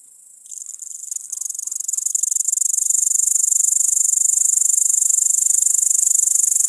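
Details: A great green bush-cricket (Tettigonia viridissima) stridulates in a loud, high, sizzling buzz that swells and then runs on unbroken.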